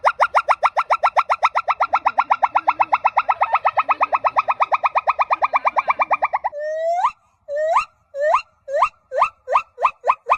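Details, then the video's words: Monkey making a weird call: a long run of rapid pulsed notes for about six seconds, then a string of short rising, upturned whoops repeated roughly twice a second. "Weird monkey sounds you won’t believe"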